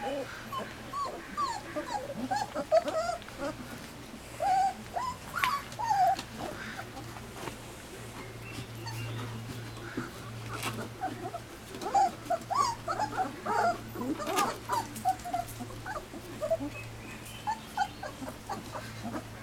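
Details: Several three-week-old Standard Poodle puppies on their first outdoor day, fresh from first puppy gruel, give short high whines and squeaks in scattered bursts every second or two, with rustling and a constant low hum beneath.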